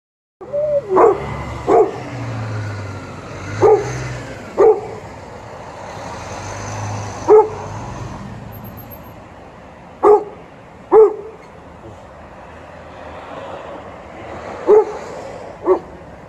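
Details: A Golden Retriever and an Alaskan Malamute waiting for treats give short, single barks at irregular intervals of one to three seconds, about nine in total, over a steady low rumble of background noise.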